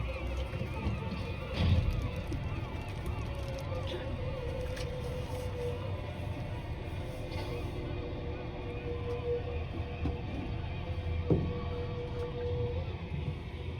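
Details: Humpback whale song heard by hydrophone through boat speakers in Auke Bay, Juneau, Alaska, in August, where whales were bubble-net feeding: long, sustained moaning tones with wavering higher notes over engine rumble.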